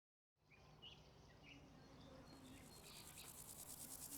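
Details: Grasshopper chirping. A very high, rapidly pulsed buzzing fades in and builds toward the end, with scattered short, bird-like chirps and faint background noise.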